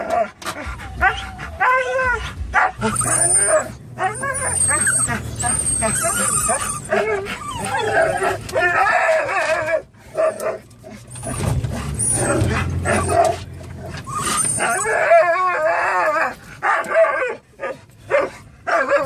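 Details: Three pet dogs, a Norwegian Elkhound mix, a Labrador mix and a Rat Terrier, riding in the cargo pen of a car toward PetSmart, let out wavering high whines, yips and barks, with a person's speech mixed in and low engine rumble.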